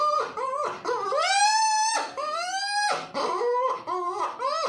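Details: Puppy crying in a series of high, harmonic whines, each rising then sliding down, with longer drawn-out wails around the second and third seconds and shorter yelps between, coming about once a second in a small indoor room.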